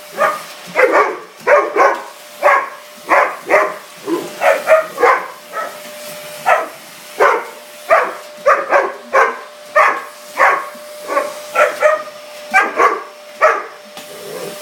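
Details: Diva, a mastiff, barking while attacking a vacuum cleaner indoors: a rapid run of short, sharp barks, roughly two per second, some doubled, over a steady mechanical hum from the running vacuum.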